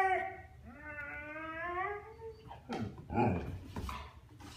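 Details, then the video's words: Young Husky vocalizing at his brother who ignores him: a long wavering whine with slowly rising then falling tone, followed by rougher broken grumbles and noisy bursts, indoors with some human voice. "Chattering Husky"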